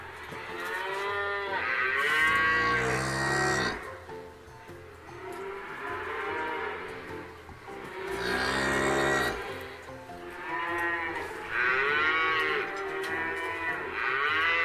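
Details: Cows, described as herd animals and sacred in India, giving long, drawn-out harmonic moos that rise and fall, several overlapping in a few sustained bursts, with a faint steady background.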